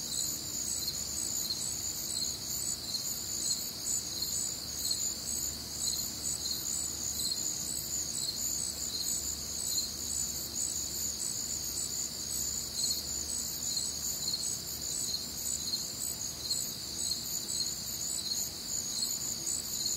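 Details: Midwestern summer night, warm and humid: an unbroken high cricket chorus of overlapping shrill chirping bands, steady throughout, above a faint distant hum.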